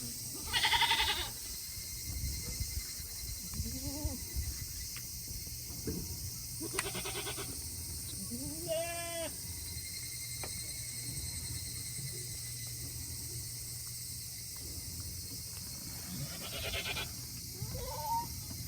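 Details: Tokara goats on a farm in Himi, Japan, on a hot day, 8 August 2021, having finished eating early and wanting to return to their shed; several wavering bleats spread across the recording, some distant and faint, over steady background hum.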